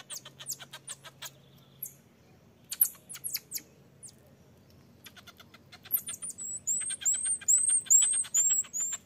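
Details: Infant marmoset begging its mother to nurse while she firmly refuses; sharp, dry clicking notes in quick bursts, then a run of very high, thin arched whistles repeated roughly once a second near the end.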